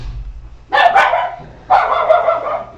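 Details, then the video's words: A house dog barking while someone rings the doorbell: two deep, rough barks about one second apart over a low background hum. "Aquí están tocando el timbre, el perro"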